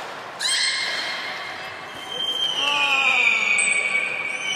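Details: Captive beluga whale at Port of Nagoya Public Aquarium, 3 February 2019, after feeding during play time: long high tonal whistle held steady, then a second one sliding downward, with indoor reverberation.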